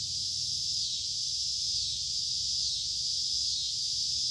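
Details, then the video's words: Summer cicadas producing a sustained high buzz that gently pulses, rising and easing roughly once a second, over a quiet low background. "Cicada Sounds of Summer"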